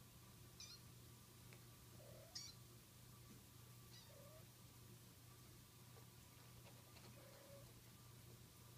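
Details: Kitten meowing while resisting a bath; three short mewing cries rise and fall at moderate pitch, spaced a couple of seconds apart, over a steady low hum and faint splashy background.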